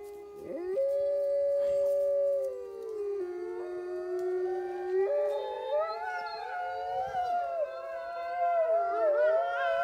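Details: Gray wolves at a zoo in Neuruppin, Brandenburg, Germany, on July 28, 2022, howl together in long, smooth tones that slide and waver over one another.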